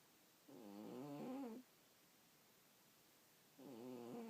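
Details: Cat snoring in sleep: a rasping, wavering breath of about a second, then a pause of two seconds before the next breath begins, with a faint hiss behind.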